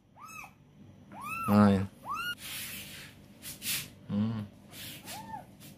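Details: Small kitten in Palembang whose mother has wandered off, meowing in brief rising-falling cries, four spaced through the stretch, with Indonesian speech breaking in between.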